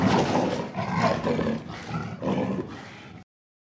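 A panther gives a deep, rasping roar in several surging pulses before falling silent.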